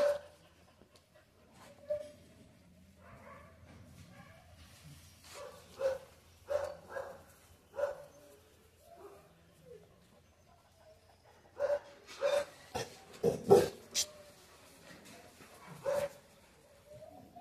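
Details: Dog giving scattered short barks and yelps, sparse at first, then a denser cluster of sharp barks near the end, over faint background hum.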